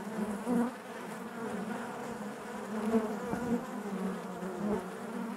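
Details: Massed honey bee buzz from within the hive: a rich, throbbing drone with shifting overtones and small rises in intensity around half a second and three seconds, no other noises.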